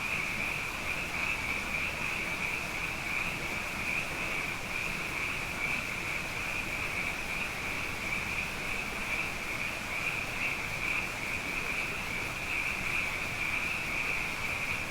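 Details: Frogs, abundant after two consecutive wet years, fill the night with a constant high, shimmering trill; dozens of overlapping voices merge into a steady band, gently pulsing, with a muffled low-frequency rumble underneath.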